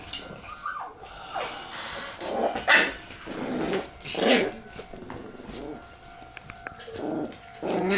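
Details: Shiba Inu dogs after dinner on April 27, heard indoors: a series of short, pitched whining yelps and sharp barks, several bursts rising and falling, separated by brief pauses over a steady low electrical hum.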